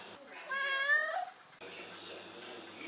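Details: Adopted house cat in Italy, asked by a person whether it wants to go outside, answers with a single meow lasting about a second that rises slightly then falls away, followed by quiet indoor background.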